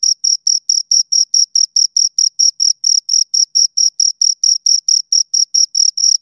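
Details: Pair of crickets giving steady, evenly spaced high chirps, roughly four or five per second, each a short bright pulse with a faint higher overtone; nothing else audible.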